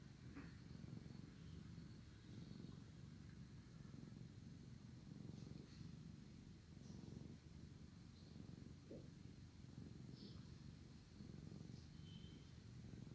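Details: A drowsy cat purrs loudly as his brother gives him a thorough licking; low, even, throbbing purr swelling with each inhale and exhale, dotted with brief soft licking clicks and rustles.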